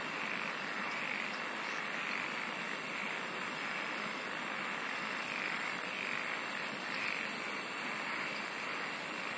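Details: A relaxing night-like wall of insect song: a constant piercing tone and broad buzzing hiss, broken in the latter half by a two-second run of rapid, very high, regular pulses.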